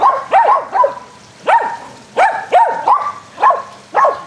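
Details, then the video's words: Several dogs, Athena, Brando, Rocko and Charlie, barking during an aggressive game of fetch on a spring day; short sharp barks come in pairs and singles roughly every half second. "Dogs play Agressive Fetch"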